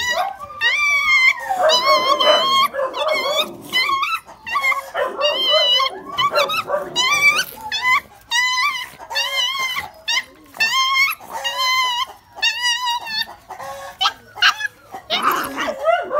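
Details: A litter of Phu Quoc Ridgeback puppies from Saga and Bơ whimpering almost nonstop: high, wavering, squeaky whines in quick overlapping bursts, some rising then falling, separated by brief gaps, over a quiet background.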